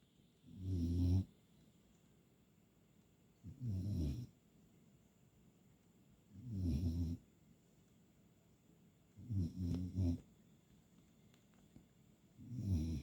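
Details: Sleeping puppy snoring: low, rumbling snores in five separate bursts about every three seconds, each about half a second to a second long, with quiet breathing pauses between them in a still room.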